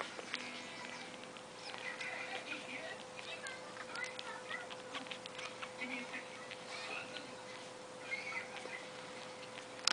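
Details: Litter of six one-day-old Shih Tzu puppies, three females and three males, nursing: faint high squeaks and little whines in short bursts over a steady hum and rustling.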